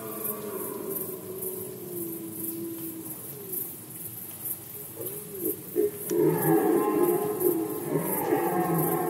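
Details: Red deer during the rut season in Poland, 2020: faint, drawn-out harmonic moans give way after six seconds to loud, rough, overlapping roars. A steady, rapid high-pitched pulsing runs throughout the background.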